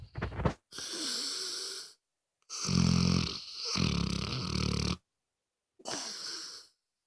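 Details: Moses the dog snoring loudly indoors: three long, harsh, wheezing breaths roughly a second or more each, separated by short silences, with a deep rattling buzz in the loudest middle snore.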